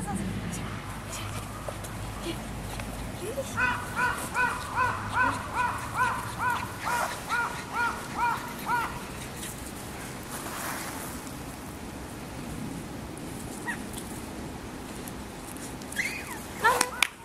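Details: A male Toy Poodle puppy born 25 February gives a quick run of high, squeaky whimpers, about two each second.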